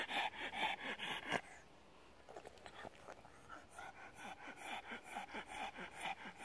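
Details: A pug sunning on a deckchair, worked up by petting, pants steadily in rapid, breathy huffs two to three times a second, with a snorting, wheezy edge; the rhythm briefly breaks, then resumes.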